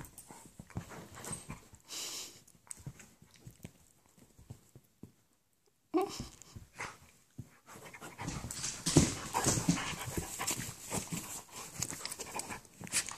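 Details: Bernie the Labradoodle, very excited but gentle, plays with his little friend Brutus, an Italian Greyhound puppy; quick broadband panting breaths with scuffles, a silent gap near five seconds, then louder busy panting and movement noise indoors.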